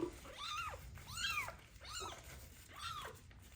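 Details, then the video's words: Ringworm-stricken kitten, found abandoned in a box on the street, meows loudly at its first bath: four clear, rising-then-falling wails in quick succession over a faint hiss of water. "First bath for a kitten found with ringworm that was abandoned on the street / meows loudly"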